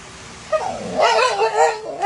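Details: Siberian Husky vocalizing after its owner ate its snacks, a wavering, yowling howl rising and falling in pitch with whining inflections over about a second and a half, like scolding.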